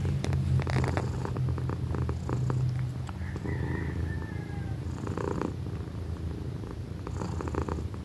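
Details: Pequeña, a female house cat almost a year old, purring very loudly in a strong low rumble of fast regular pulses, with occasional clicks, rustles and a faint distant bird-like chirp.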